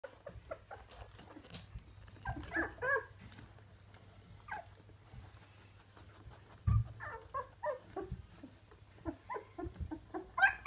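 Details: Ruby, a fox red Labrador Retriever, with her nine 18-day-old puppies from her second litter, eyes newly open and starting to walk; high squeaky whimpers and short squeals come in scattered bursts over a steady low indoor hum.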